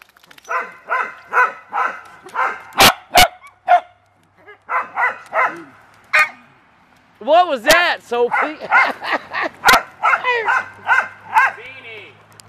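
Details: Beagles and dachshunds playing in water: a run of steady yapping barks, a brief pause, then arching, whining yelps that rise and fall, mixed with more barks and a human voice.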